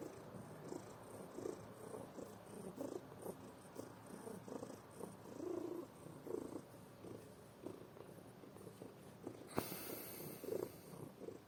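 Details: Snoring from a sleeping house cat: low, raspy rumbles rising and falling with each breath, broken near the end by a brief sharp click.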